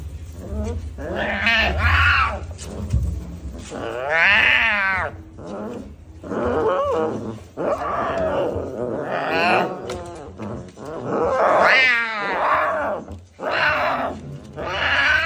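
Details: Baby tiger cub calling in a long run of loud, harmonic, whining cries, some rising and falling, roughly one every two to three seconds, over a low rumbling background.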